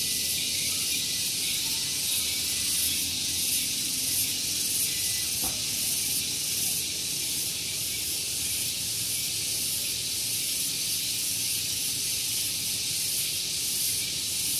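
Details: Loud morning cicada chorus at Gunung Geulis in Bogor, West Java, recorded close to a parking area. A shrill, unbroken hiss throbs in quick regular pulses throughout, with a single sharp click midway and soft low background rumble.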